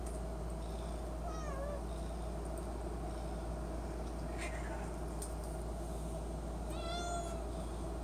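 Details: Domestic cat begging for Friskies treats at the pantry, giving two wavering harmonic meows about five seconds apart, over a constant low hum and faint household clatter.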